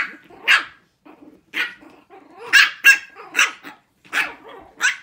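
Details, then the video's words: Six-week-old Shih Tzu puppies hold a barking contest, letting out high, shrill puppy barks roughly every half second to a second, in uneven bursts with faint whimpers between them. "Barking contest, 6 Weeks"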